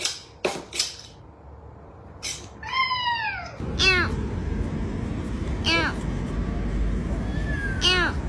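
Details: Domestic cat in a noisy mix: sharp clicks and pops early on, then a long downward-sliding meow, followed by short, clipped yowls over a steady background hiss.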